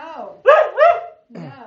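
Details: Husky talking back indoors while being scolded for needing to go potty outside; two loud drawn-out moaning notes, each rising then falling, followed by a softer, lower murmur, with a person's voice nearby.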